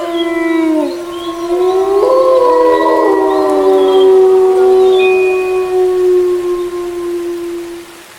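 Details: Gray wolf pack howling in the dark silence under a full moon: several long, drawn-out tonal voices overlapping, some sliding up and others holding level, forming a layered chorus that fades toward the end.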